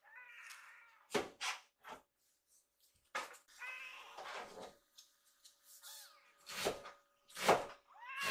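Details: Rescued baby kittens waiting in a row for food at home; short high meows mixed with thumps and clatter, irregular, with a faint steady hum.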